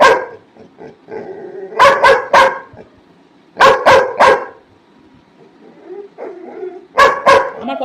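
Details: Mischievous pet Labrador Retriever barking in quick bursts of three sharp, harmonic barks, with three clusters spread across the recording and pauses between them; a person talks to the dog in Bengali in the quieter gaps.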